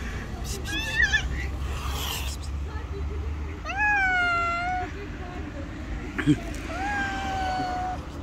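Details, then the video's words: Angry stray cats, a white cat against a rival tabby on the street: two long wavering yowls, bright and harmonic and each lasting about a second, with a brief sharp cry between, above a steady traffic rumble. "Angry White Cat gets slapped by another rival Angry Tabby Cat."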